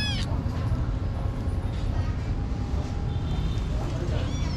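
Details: Tiny street kitten at a pagoda gives a short, high, falling meow at the start and another thin meow near the end, over a steady low rumble of background noise.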